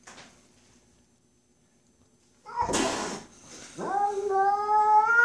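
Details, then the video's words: Domestic cat upset by a neighbour boy, letting out a loud drawn-out yowl after a burst of noise, the tone rising and holding with strong harmonics, indoors in a small room. "Cat Freaking Out"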